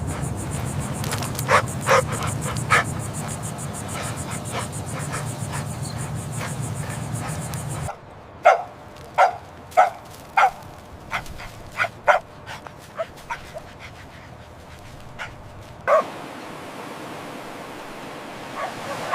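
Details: Puppies at play on fresh green grass, running, jumping and play-fighting; short sharp yips and little barks come in scattered bursts between clicks and rustling, with a low rumble in the opening seconds.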